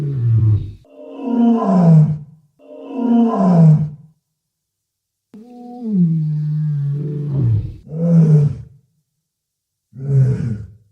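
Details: Walrus of the Arctic, where group members exchange calls, giving deep guttural grunts and rough roars in separate bursts, including one long, steady moaning bellow, with silent gaps between calls.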